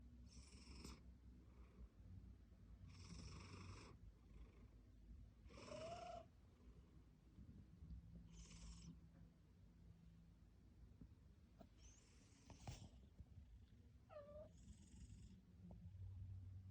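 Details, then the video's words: Domestic cat with rhinitis snoring softly indoors: a steady low rumbling breath with wheezy, whistling nasal bursts returning about every three seconds, some sliding briefly in pitch, in a quiet room. "비염있는 고양이....어우야 머선129 snoring cat seriously? 이게 머선 소리고!"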